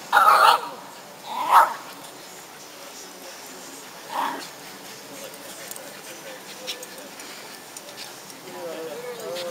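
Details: Shiba Inu playing with a friend dog, recorded 14 August 2011; three loud, sharp barks within the first four seconds, then quieter scuffling, with people talking and a thin wavering whine near the end.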